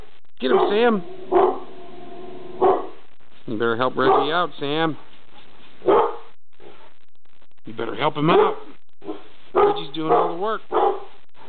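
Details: Dog in a kitchen barking at something, with bursts of quick repeated barks in clusters separated by pauses, mixed with a man's loud encouraging speech and a second dog being called to help.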